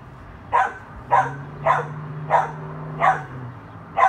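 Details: Dachshund barking during play with a chihuahua: six evenly spaced, clipped barks roughly every half second, with a low droning hum running underneath through the middle.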